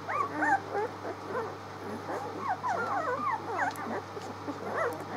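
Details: Six-day-old puppies, 19 March, a soft, busy chorus of quick squeaks and whimpers from several pups at once, fainter and blurred, over a constant low hum.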